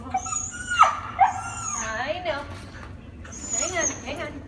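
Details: Vocal Husky Princeton greeting after a plane flight: a sharp rising whine breaking into a falling yelp, then wavering moans, with people talking nearby indoors.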